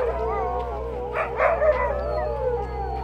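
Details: A chorus of sled dogs in Ilulissat, Greenland, howling together, many long wavering voices overlapping at different pitches.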